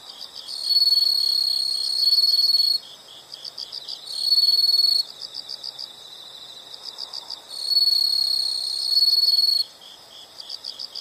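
An insect gives long, high, buzzing trills in bursts of about two seconds, with softer chirps between.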